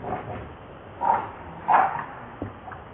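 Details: Hungry baby monkey named Lucie crying and begging for milk: a few short, whining cries, two louder ones close together near the middle, over a soft steady background hiss.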